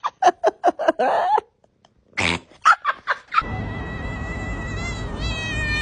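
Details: A domestic cat gives a quick run of short, clipped meows, about five in the first second. A harsher, noisy call follows, then a few more chirp-like meows. Steady broadband noise with a high whining tone takes over from mid-clip.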